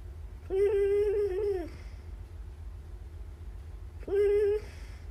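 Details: Rai, a male chocolate-and-white Siberian Husky born December 2010, talks in his sleep in a quiet room: a long, tonal, wavering moan of about a second, then after a pause a briefer repeat, over a low hum.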